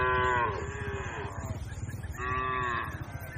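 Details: Cattle from a grazing herd on open green grassland give two long, falling moos about two seconds apart, rich in harmonics, over a constant low background hum.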